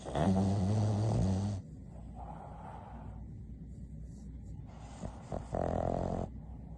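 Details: A female Boston terrier napping snores with a loud, rattling, low-pitched rasp, then softer wheezy breaths.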